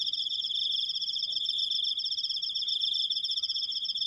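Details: Cricket in a self-made recording, sustaining a long 'krikkk' call: an unbroken, rapidly pulsed high-pitched trill with bright overtones, steady in loudness throughout, over faint low background noise.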